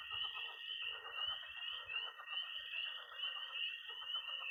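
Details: Frog and toad chorus at night in early spring in Missouri: a dense, continuous high trilling band with pulsing peeps, plus a busy lower layer of croaks and chatter from a pond, with faint low thumps.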